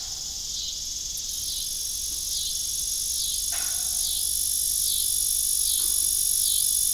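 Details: Crickets trill in a steady, high-pitched, continuous chorus with faint pulsing on an evening at an old farm beside a disused windmill.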